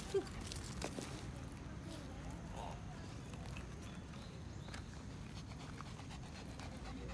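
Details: A Shih Tzu plays tug-of-war over a stick in a park, giving a low, steady rumbling growl.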